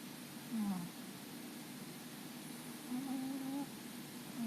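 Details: Sleeping domestic cat snoring while twitching: quiet, thin whistled snores that slide downward, heard three times over a few seconds against a soft room hiss.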